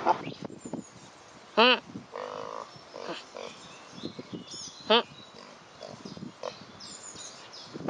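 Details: A pot-bellied pig on a walk on a hot summer day gives two short, harmonic squealing grunts a few seconds apart, with a person speaking briefly.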